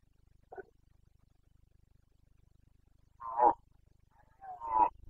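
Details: Rutting Carpathian stag in Bucovina, breeding season, 29 September 2022: a short distant groan, then two strong, rough, hoarse roars about a second apart, over a low steady rumbling hum.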